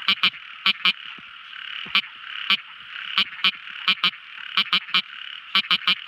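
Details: Tiny frog singing at night: sharp, clicky notes in quick irregular bursts, often paired, standing out over a steady high-pitched hum of other night callers.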